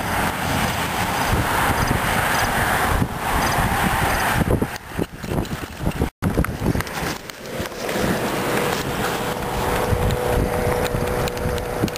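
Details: Outdoor urban traffic rumble and wind buffeting the microphone, with a brief cut to silence near the middle.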